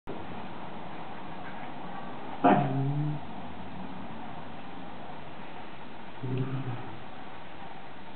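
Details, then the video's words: Six-week-old Shiba Inu puppy during a veterinary check in Belgium, one of a litter born June 13th 2010; a short whining yelp with harmonics near the middle, then a fainter brief whimper toward the end over steady background hum. "6 week old Shiba pup Snoopy vet check"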